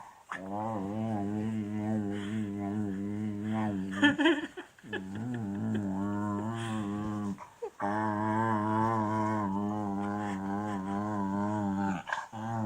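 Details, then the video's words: Male beagle protesting a tummy rub with drawn-out, steady, low groaning grumbles. Two long moaning phrases are split by short gaps and breathy snorts, and the tone wavers slightly throughout. "Funny beagle noises, He doesn't like it"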